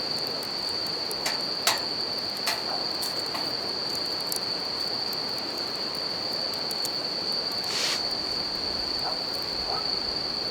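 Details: Night chorus of bell crickets by a river and campfire, a continuous high-pitched ring sustained end to end, with sharp wood-fire snaps now and then and a constant wash of flowing water beneath.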